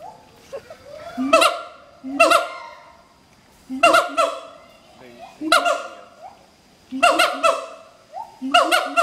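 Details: Adult mated pair of siamang gibbons duetting at Schmutzer Primate Center, the morning song advertising their territory; loud bursts of rising hoots and barking notes in clusters every one to two seconds, with quieter rising whoops between.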